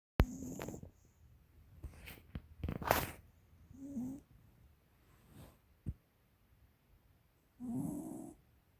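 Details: A 13-year-old female American Cocker Spaniel snores in loud, low, rattling, throaty bursts every few seconds.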